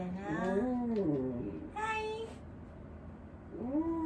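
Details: Old dog Wanta, cared for at home and restless during the morning, lets out a long sliding moan, then a brief higher cry, and after a quiet gap a rising whine at the end.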